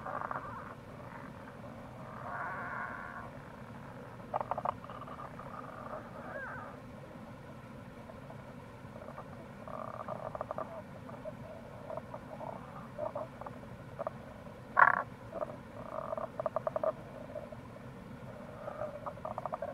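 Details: Wild Tago's brown frogs calling in April beside the Kamo River gorge, Itoshima, Fukuoka, Japan: repeated short bursts of low, rattling pulsed croaks, scattered and overlapping across the recording, over a steady low hum of running water.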